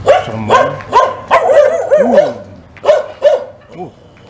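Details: Fierce dog in Indonesia barking at passers-by on a morning walk; a rapid run of about eight harsh barks, some with rising-falling yelping tones, mixed with voices and a low hum.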